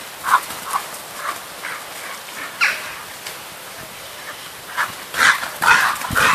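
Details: Keeva, a female Irish Wolfhound, is noisy while three wolfhounds chase one another around a garden. Short, sharp yips and barks recur about twice a second, growing louder and clustering near the end.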